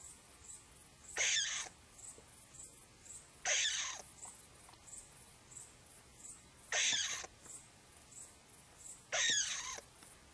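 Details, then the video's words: After peeking from its hole and being startled, an edible dormouse utters harsh, noisy hissing bursts, four of them roughly every two to three seconds, against a calm background. "Razburjen polh"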